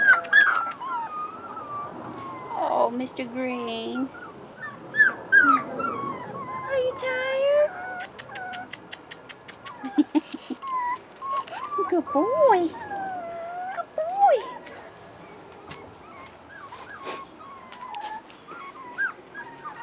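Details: Outside for their first time, Rottweiler puppies aged 4.5 weeks give wavering, howl-like whines and rapid yips in a busy chorus, with human chatter in the background.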